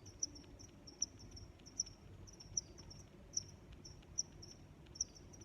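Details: Close cricket chirping: clear, sharp high chirps spaced evenly about 0.8 seconds apart, seven in all, above a quiet low hum.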